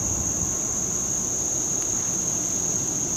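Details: A cicada's steady, shrill buzzing drone runs without a break over a faint low rumble, on a summer day in Duke Island Park, 2 August 2011.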